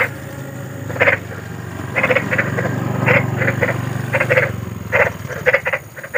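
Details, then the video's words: Large wild frogs croaking in spaced bursts, short rough double and triple notes about once a second, over a steady low rumbling drone in the background. "SUARA KODOK || KODOK BESAR || SUARA KODOK SERAM"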